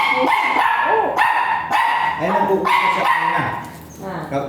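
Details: At Mapandan vet clinic, a dog during a shooter (artificial insemination) service where dam and sire are both virgin gives a run of sharp, ringing yips and whines, about three or four a second, under voices.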